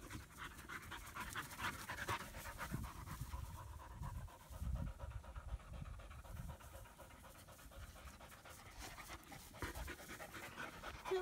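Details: Two German Shepherd puppies, a female born in August 2016 and her older half-brother, romping together in Florida; steady rapid huffing pants, louder in surges, with movement noise and brief human chatter.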